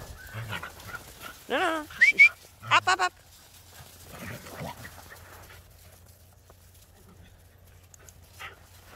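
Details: Border Collie and Jack Russell Terrier dogs playing chase in the snow; a burst of short, high harmonic yelps and barks, one sliding upward, clustered around two to three seconds, then quieter shuffling and footsteps.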